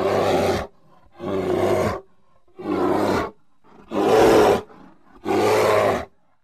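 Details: Grizzly bear (Ursus arctos horribilis), roar.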